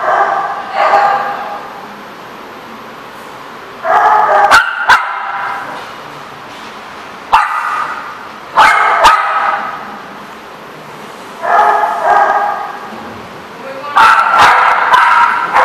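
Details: Dog at The Barking Lot on 16 May 2014, giving harmonic barks in loose bursts roughly every three seconds, some doubled or run together, with sharp clicks and knocks between them over a quiet background.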